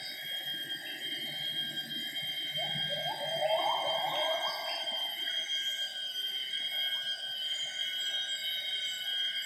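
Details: A gibbon sings at 07:58 in the Semenggoh primary rainforest near Kuching, Borneo, part of the pair's morning duet. A burst of climbing, quavering notes swells then fades midway. Pulsing insects and constant high-pitched buzzing surround it.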